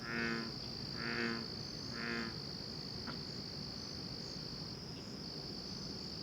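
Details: Frogs calling through the night: three rasping, pulsed croaks with a buzzy harmonic ring, spaced about a second apart, followed by quieter gaps, all over a steady high-pitched insect drone.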